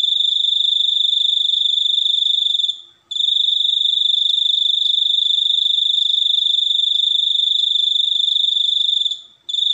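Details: High, shrill pulsing of a cricket that goes on steadily. It stops briefly twice, about six seconds apart, with each gap lasting a fraction of a second before the fast trill starts again.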